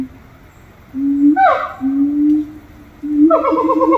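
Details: Long, smooth low hoots held for about a second each from monkeys at Little Rock Zoo, broken by one high whoop sliding downward, then a building run of fast quavering notes climbing at the end.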